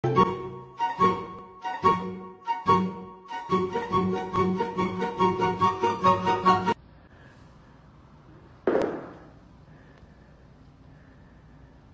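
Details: Rhythmic instrumental music plays, stops abruptly, then a single thump is followed by a quiet hum; no animal voice.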